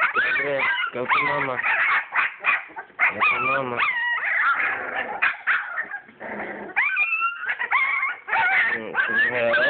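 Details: A litter of English Springer Spaniel puppies born 22 July 2012 whimpers and yips during play. A woman talks soothingly over the first half, then high, wavering puppy whines dominate.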